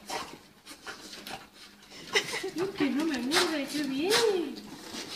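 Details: Excited pet dog greeting its owner indoors after the owner's long time out of the country. The dog gives a wavering, rising and falling whimper that starts weak and swells over about two seconds, with people talking throughout.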